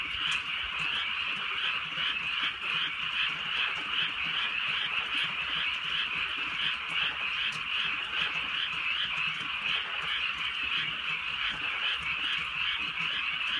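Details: A night chorus of many frogs in rural fields as light rain falls. Their continuous trilling croaks pulse quickly and unevenly, and sharp patters of raindrops break through now and then.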